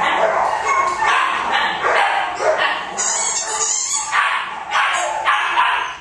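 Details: An ill Pomeranian yelps and cries almost nonstop, with rapid, shrill, strained bursts following one another about every half second.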